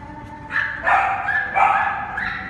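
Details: Young Cane Corso puppies from the same litter letting out three loud, ringing yelps, each drawn out and slightly wavering in pitch.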